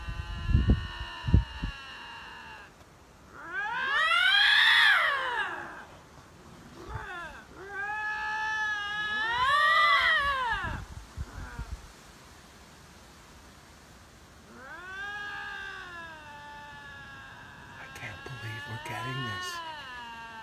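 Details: Lynxes vying for territory trade loud caterwauling howls, each swelling upward then falling away over two to three seconds, separated by quieter wavering moans, with a few thuds at the start.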